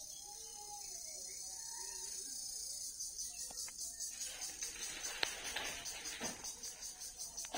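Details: Cricket song: a steady, shrill, very high trill runs throughout, growing louder and pulsing about two and a half times a second in the second half, with faint low tonal sounds early on.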